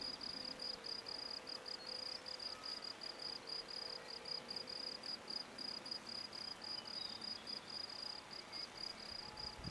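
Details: Field crickets (Gryllus campestris) sing at a sports field in Brasschaat, Belgium, a habitat since destroyed. The song is a steady, high, shrill chirping, pulsed several times each second.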